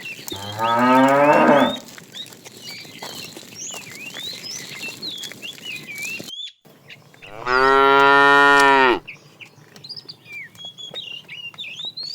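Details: Calling the female, a fat tame cow moos twice during afternoon herding: two loud, steady, buzzy-harmonic moos of about one and a half seconds, six seconds apart, amid continuous twittering birds.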